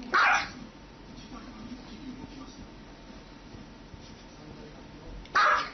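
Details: Two sharp, loud dog barks about five seconds apart, with quiet room noise and faint speech between them.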